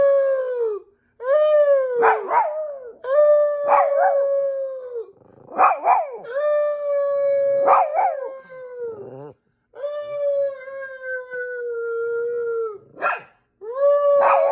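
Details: Several Chihuahuas belonging to an aunt howl in long, steady, harmonic-rich tones held for one to two seconds, broken by short sharp barks; the howls sometimes overlap, dip in pitch at their ends, and resume after brief pauses.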